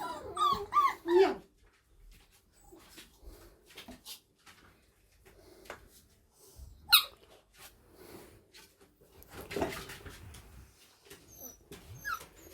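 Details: 5-week-old Staffordshire bull terrier pups give high, wavering whimpers and a sharp yelp while chewing on a shoe, amid chewing and clicking noises.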